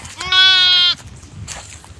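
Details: Garole sheep on a farm in Bangladesh giving one loud, steady, nasal bleat of about half a second, rich in evenly stacked harmonics, followed by quieter background farm noise.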